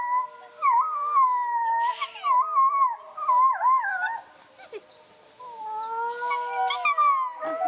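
Several wolves howl together in long, wavering tones that rise and fall, overlapping into a chorus.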